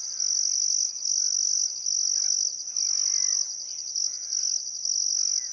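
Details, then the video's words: Still summer sunset on the Barcoo River, Welford National Park, Outback Queensland, Australia: crickets chirp in shrill, evenly spaced bursts of under a second, with wavering birdcalls clearly audible in between. "Australian Sunset Chirping Crickets"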